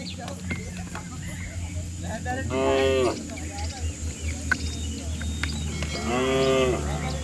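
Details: Cows and bulls from a herd bounding down a green hillside in the countryside; two drawn-out moos a few seconds apart over a steady low rumble and scattered ticking noise.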